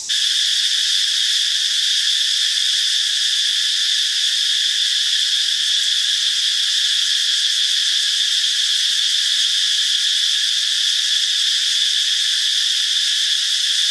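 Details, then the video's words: Dry-season cicada chorus in Thai forest, northeastern Thailand, from many freshly hatched insects: an intense continuous shrill hiss-buzz holding steady throughout, with no other voices heard. "Many cicadas have hatched in the dry season in northeastern Thailand. How loud they are?"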